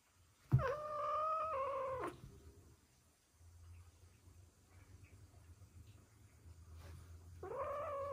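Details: Ragdoll cat; yowl and growl; aggression toward a newly arrived cat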